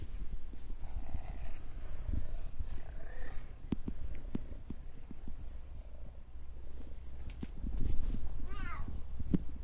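A Bengal cat purrs in a steady low rumble, with a brief rising meow near the end.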